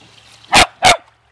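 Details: Two loud, clipped barks about a third of a second apart from a pet Beagle/Dachshund having fun in water, over a low background hum.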